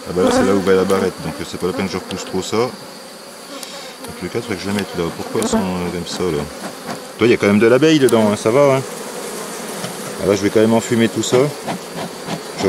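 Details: Honey bees at a drone-laying hive being rescued on 3 May 2021, after a brood frame with nurse bees from a neighbouring, not very gentle colony was added. Wavering, buzzy hums from bees passing close, rising and falling in pitch, in bursts separated by quieter stretches.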